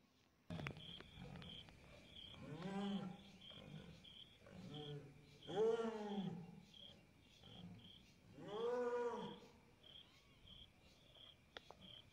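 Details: A jaguar in Goiás, Brazil gives deep, hoarse roaring grunts, each swelling and falling, spaced a few seconds apart.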